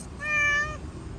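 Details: Fluffy stray cat on a street, being petted. A single steady, drawn-out meow lasting about half a second, clear and tonal, over a low background hum.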